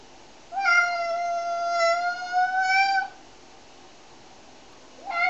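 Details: Cat meowing indoors while being shampooed, one of three cats washed: a single long, drawn-out, tonal meow of about two and a half seconds, steady with a slight rise, then quiet before a second meow starts at the end.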